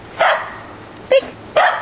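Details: A corgi outdoors in snow barks on command to "speak" with its outside voice, giving three sharp, mid-pitched barks, each brief and spaced unevenly over two seconds.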